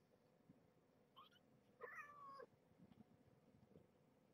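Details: A single 17-day-old shelter kitten from a Purrfect Pals litter, woken from a nursing nap for its weigh-in, gives one short, soft, falling mew, with faint room hiss before and after.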